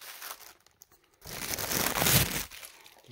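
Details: Crinkling and tearing noises in a small indoor room, with a faint murmur of speech and no animal voices.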